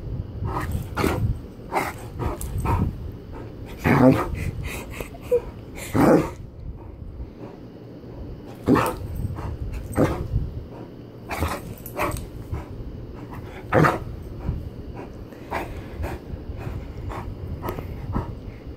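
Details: Great Dane barking in deep, broadband bursts, some single and some in quick clusters of two or three, spaced irregularly with short quiet gaps between them over about nineteen seconds, against a low background rumble.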